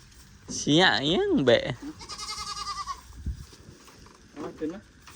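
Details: Goats on a farm after four more were bought: a loud, quavering bleat with strong wavering harmonics, then a thinner, trembling bleat, with brief human voices near the end.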